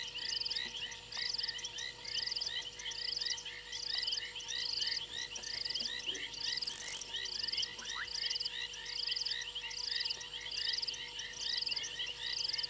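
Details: At 02:07 on 28 January 2022, frogs perched on a fallen tree limb at Gowrie dam, Djuma Game Reserve, Sabi Sand, South Africa. They call in a steady night chorus of rattling trills and overlapping chirps, with a brief sharp click midway.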